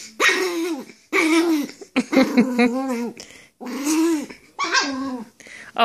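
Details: Pomeranian during rough play fighting with another dog, mixing throaty growls with sharp short barks in uneven bursts separated by brief pauses, growing more excited toward the end.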